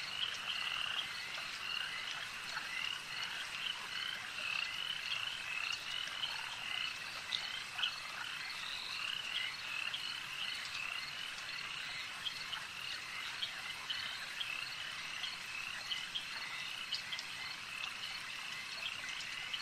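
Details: Many frogs calling together at a lake; high rattling trills blend into a constant wash, with faint scattered clicks and a slightly softer, rougher texture throughout.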